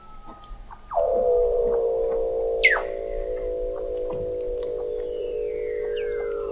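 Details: Weddell seals recorded in November 2017 by the McMurdo Oceanographic Observatory, 21 m below sea ice in McMurdo Sound, Antarctica: a long steady harmonic tone held for seconds, a sharp descending sweep, and faint distant whistles.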